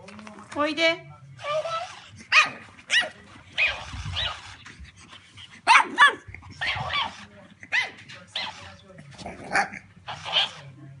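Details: Pug barking aggressively at a copycat mimicking it: irregular sharp barks spread through the recording, mixed with human speech and a faint low musical hum.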